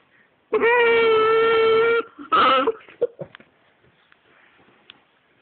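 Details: Basenjis getting acquainted: one gives a long, steady, tuneful whine, then a shorter wavering yodel and a few soft yelps.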